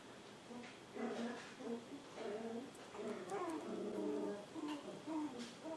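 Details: Two healthy, energetic seven-week-old Poodle puppies, Honey with honey-coloured fur and Emma with black highlights, giving a run of whiny, tonal whimpers and short yips in quick succession, fairly quiet, with a faint background hiss.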